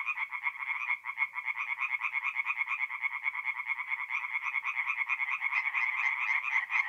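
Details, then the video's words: Tree frogs in full chorus by night at a forest pond, north-east Italy, mid-April; a thick, unbroken wall of fast, harsh, pulsing croaks from many overlapping callers, steady loudness throughout, nothing else audible. "relaxing forest pond by night with singing tree frogs"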